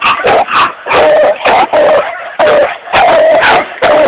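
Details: A six-month-old Redbone Coonhound pup calls in quick, uneven bursts of short, tonal, slightly wavering yelping bays, in loud runs separated by brief pauses.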